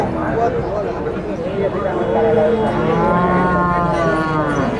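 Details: Bulls at El Tiangue livestock market in Nueva Guadalupe, El Salvador: a drawn-out, rising-then-falling moo in the second half over a dense murmur of other cattle and market noise.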